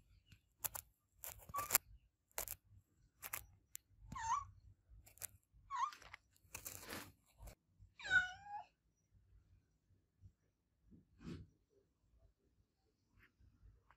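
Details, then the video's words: Adopted cat meowing loudly: three short, wavering meows, each under a second, spread across the middle of the recording among sharp clicks and taps, with quiet gaps before and after. "Cat Meowing Sound My Adopted Cat Olevia Meow Loud"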